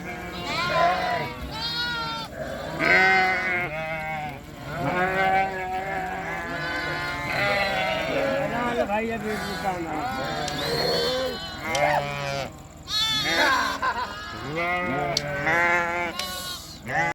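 Several sheep bleat over and over, their wavering, nasal cries overlapping throughout.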